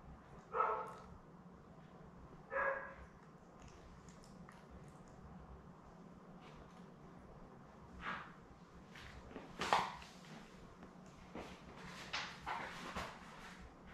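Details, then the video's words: Newborn Labrador Retriever puppies, a litter of seven born May 24, 2021, with their mother Belle on a live puppy cam on 4 June; short high squeaking whimpers at intervals, three clearer cries over soft rustling and bedding noise. "Lab Puppies LIVE STREAM Puppy Cam 4 Jun pt 4"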